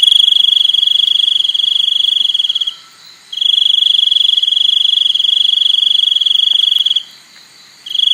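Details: Cricket giving long, pulsing, high-pitched trills of about three seconds each, separated by short silent gaps. The steady metallic buzz stays on one pitch and stands alone against a quiet background.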